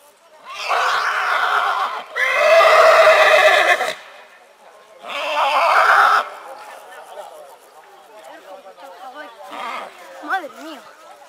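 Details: Purebred horse neighing in spring: three loud whinny bursts, the middle one a clear, sustained tonal neigh, separated by short pauses, then softer wavering, chirping sounds trailing off.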